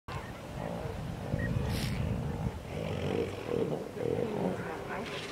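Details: Elephant seal breathing underwater and blowing bubbles: low, burbling rumbles and gurgling bursts in uneven waves, with soft watery bubbling throughout.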